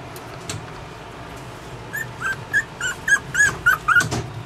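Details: Yorkshire Terrier puppy whimpering: after a quiet start, a quickening series of about ten short, high, squeaky yelps, some sliding slightly, spaced roughly a third of a second apart, with faint low background hum.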